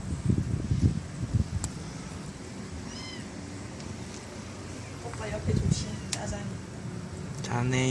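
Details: Stray kittens, a litter of four born to a young white mother cat in a residential area by a bus terminal, give short harmonic meows near three seconds and again at the end, over people talking and low wind rumble.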